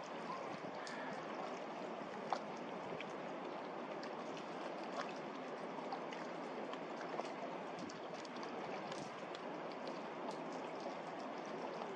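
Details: Steady rushing and lapping water, like a boat moving through waves, with no animal calls. A few faint clicks and splashes rise above the constant wash.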